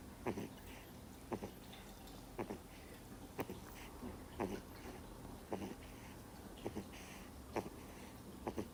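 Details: Soundly sleeping two-month-old Miniature Schnauzer pup snores in uneven, breathy bursts, some doubled, spaced about a second apart against a faint indoor hum.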